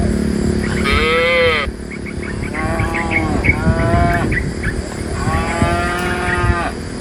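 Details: Cattle being herded from woodland to a pen, dozens of tame animals with their herder. Three separate moos, the first short and strong, the later ones longer and softer, amid repetitive high chirps.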